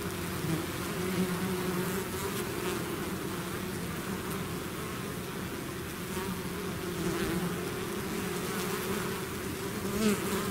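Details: Swarming bees that have left their hive fill the air with a thick, unbroken buzz, a low layered hum with brief louder swells as individual bees fly near, constant and steady over ten seconds.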